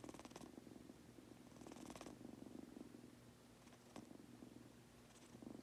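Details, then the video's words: Goku, a pet Munchkin kitten, purring while falling asleep: a steady low rumbling purr with faint breathy bursts near the start, around two seconds and near four seconds. "Adorable Munchkin Kitten- Goku Purring/Farting/Snoring while falling asleep!"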